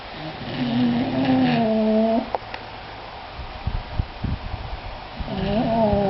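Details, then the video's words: Pet English Bulldogs Sammy and Harley asleep and snoring: a long nasal, humming breath ends with a sharp catch. A pause with soft snuffles and clicks follows, then a new wavering, whiny snore begins. "English Bulldogs snoring"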